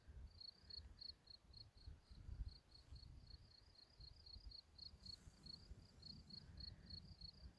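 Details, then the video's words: Crickets chirp steadily in high, clean pulses, several per second, over a low wind rumble on a spring hillside in mid-May. "i hope you can hear the crickets chirping"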